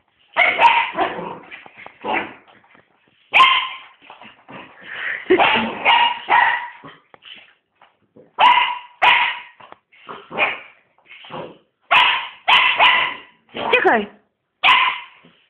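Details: Sealyham Terrier barking excitedly, a rapid irregular run of loud yaps and yips in clusters of two or three, some softer whining barks between, continuing steadily throughout.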